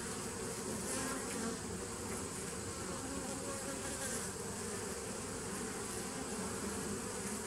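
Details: Bees recorded on 27 September 2018, a steady, dense droning hum with a low harmonic buzz that holds evenly throughout, with no clear pauses or other sounds.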